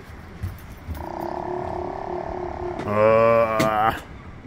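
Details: Sea lions barking in Resurrection Bay, Seward, Alaska: a steady nasal harmonic drone is followed by a louder, rich, braying call lasting about a second, with faint background noise and no voices.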